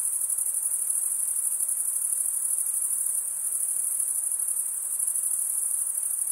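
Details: Crickets in a dense, unbroken chorus: a high, shimmering, evenly sustained trill with no pauses, many insects blending together, and no other sounds.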